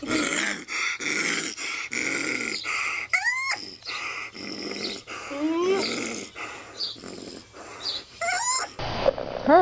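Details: A frightened raccoon (Procyon lotor) screams with harsh rasping bursts and thin, rising squeals.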